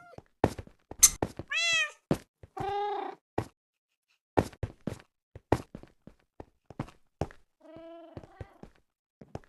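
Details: Domestic cat meowing toward other cats: a few drawn-out, harmonic-rich meows, one rising then falling, another lower and wavering, scattered between many sharp knocks and thuds.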